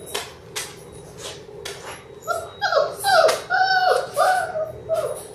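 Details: Indoor pen of six Labrador Retriever puppies in their sixth week: a run of high, bending whines and short squeaky yelps repeated roughly twice a second over soft rustling and clicks, with faint background murmur.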